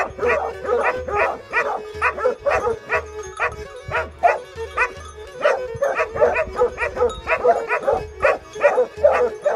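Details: Greek recording of a Plott Hound and Serbian Tricolor Hound, dated 20/03/2020. Dense, fast barking comes at roughly two to three barks a second. A steady tone and periodic low thumping pulses sound underneath.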